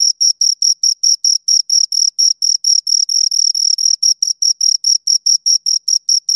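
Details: Two crickets producing a continuous series of sharp, shrill chirps at a quick, even pace, bright and metallic, the background otherwise silent.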